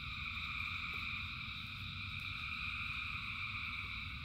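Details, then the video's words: In rain, a huge massed frog chorus keeps up an even, ringing drone of high overlapping trills for a few seconds, backed by a constant low rumble of water. "Frogs in Rain 2 Hours of Frogs, Thousands of Frogs Singing"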